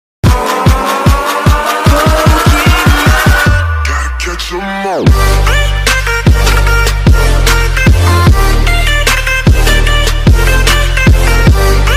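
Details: Loud electronic dance music with a rising synth line, a sudden drop and heavy pounding bass drums, with no animal sound.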